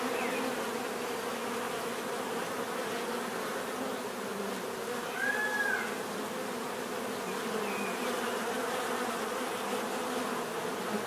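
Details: Natural buzzing of many bees, a constant layered drone with faint higher whines sliding past as individual insects fly close.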